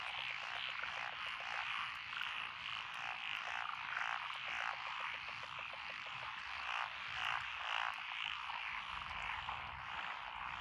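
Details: Frog chorus at night beside lotus rice paddies along a country road in Echizen, Fukui Prefecture, Japan, recorded 12 June 2021; dense overlapping croaks and trills form a continuous wall of sound with rapid pulsing rhythm.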